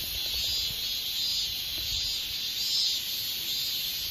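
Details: A katydid, Hexacentrus japonicus japonicus, gives a steady, high-pitched buzzing call that swells and fades slightly.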